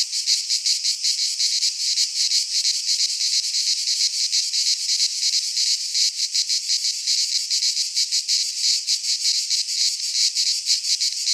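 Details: Singing cicadas from Greek fauna in a midsummer pine wood: an intense, high buzzing wall of sound, pulsating rapidly and evenly, about three beats per second, continuous throughout with no birds or people.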